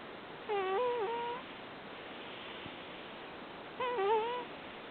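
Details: Rescued cat Cream sleeping and snoring: two whistling, wavering nasal 'puu' snores about three seconds apart, each under a second long, over a constant background hiss.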